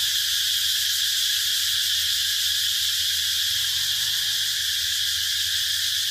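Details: Cicada call: a continuous loud high-pitched buzzing drone, steady and unbroken throughout, with a faint low hum underneath.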